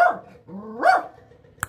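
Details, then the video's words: Small female dog during attack training, giving a loud barking yelp that swoops up and down in pitch, followed by a sharp click, with little else around it. "احسن تدريب الشراسة والفريستايل مع أصغر كلبة"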